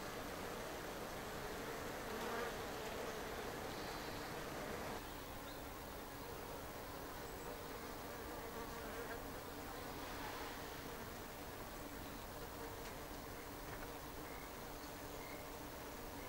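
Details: Japanese honeybees, Apis cerana japonica, humming at an observation hive built on a shed ceiling in Japan; a steady, dense colony drone with a faint tonal band running throughout, briefly louder near the start.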